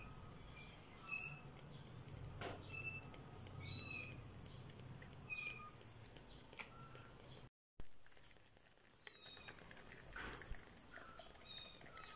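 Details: Orphaned, 12-day-old kittens in foster care in Pokhara, Nepal, give thin, high-pitched mews in short bursts over a low background rumble during bottle feeding.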